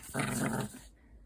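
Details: A pet dog gives a single rough, low, rumbling growl of about three quarters of a second. It starts abruptly and stays steady and noisy before cutting off into a quiet room.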